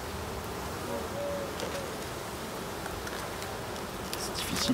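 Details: Continuous buzzing of many honey bees at a hive inspected at the end of summer, on 22 September. A brief whining tone stands out over the drone, and clicks and knocks come near the end.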